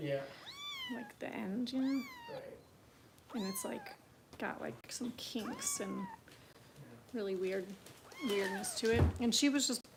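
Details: Foster kittens being bottle-fed by Kitten Rescue volunteers in Los Angeles, meowing repeatedly in short rising-falling cries, some doubled, interleaved with human speech in a small room.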